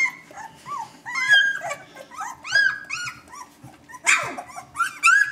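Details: Newborn Vizsla pups, still blind, exploring and vocalizing: clipped upward-bending whimpers and squeaks in quick runs, then a sharp, noisy yelp and more shrill cries.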